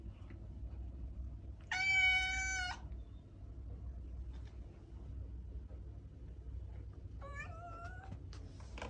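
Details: Domestic cat meowing: one loud, clear, harmonic-rich meow lasting about a second, then a softer, shorter meow near the end, over a steady low background hum.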